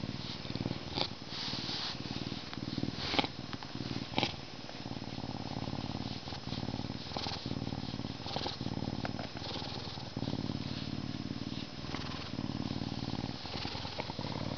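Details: A Canada lynx purrs with a steady, low, rumbling throb that runs almost without pause; it also meows.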